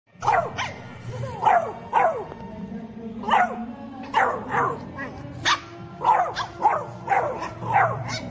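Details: Four-month-old Beagle play-fighting with a two-month-old Shih Tzu puppy: high, yappy puppy barks and yelps, about a dozen in eight seconds at an uneven pace, with a person talking in the background.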